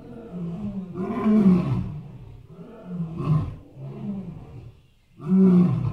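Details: Elephant producing low, rumbling groans in three swelling bursts, the last one loud and abrupt after a short silence.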